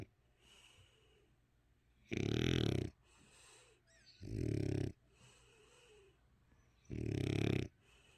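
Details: Eight-year-old French Bulldog named Dali snores with eyes open, giving three heavy buzzing inhaled snores spaced roughly every two to three seconds, with quiet wheezy breaths between them.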